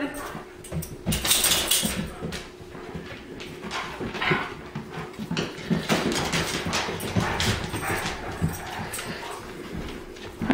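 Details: New Guinea singing dog, a rescued male, howling in short bursts in the morning as he does daily to greet the day, wavering howls and whines; owner then offers to go outside.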